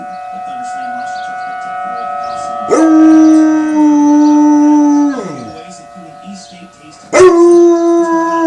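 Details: Bear, a pet dog, howls along to a tornado siren: two long, loud, sustained tones that hold steady and then slide downward, the second starting abruptly near the end, over the siren's constant high whine.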